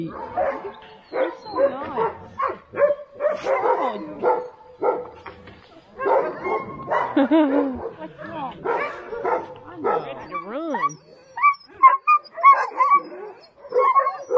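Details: Alaskan Husky sled dogs at Snowhook Adventures in Willow, Alaska, eager before a run: many dogs yip, bark and give wavering, rising-falling howl-like cries in overlapping bursts, with a woman's voice now and then.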